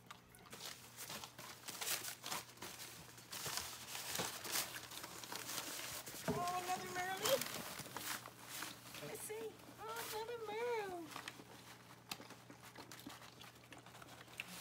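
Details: Newborn merle Australian Shepherd puppy just after birth, as the mother licks it: two short bursts of high, wavering squeals with stacked overtones, the second rising and falling several times, over a woman's soft talk and rustling.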